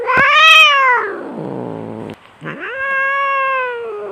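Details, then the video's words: Domestic cat during a fight gives a high arched yowl that sinks into a gravelly growl, then after a short gap a second long, steady wailing yowl that slowly fades. "SUARA KUCING BERANTEM - Dijamin 100 % Garang !!"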